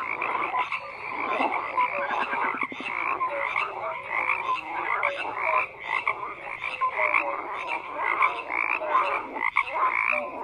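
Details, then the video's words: Many frogs croaking together in a dense chorus, overlapping rattling and trilled calls with short tonal notes, a steady wall of sound with no other clear noises. "FROGS CROAKING"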